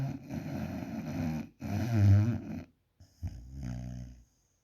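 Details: Sleeping puppy Alfa gives a rough, growling snore, low and buzzy with a loud rumbling peak midway, broken by a brief silence and then a softer rattling breath.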